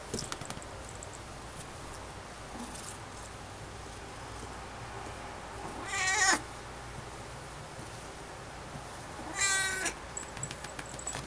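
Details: A domestic cat gives two loud, drawn-out meows a few seconds apart while being given playful smacks on its rear, which it loves.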